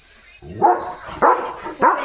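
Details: German Shepherd on nighttime watch, alert and protective, letting out three deep, rough barks spaced about half a second apart, with low rumbling between them and a thin electrical tone in the background.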